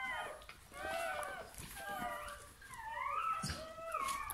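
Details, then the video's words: Bernese Mountain Dog pup being born, indoors: a string of thin squeaky whines, then a louder rising squeal near the end, soft thumps and rustles from handling underneath. "Naissance d'un chiot bouvier bernois"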